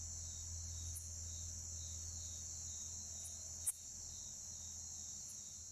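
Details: One sharp, loud chirp from a Bucrates katydid, two of which were present, cutting through a constant shrill insect drone from other orthoptera, with faint softer ticks and low rumble beneath.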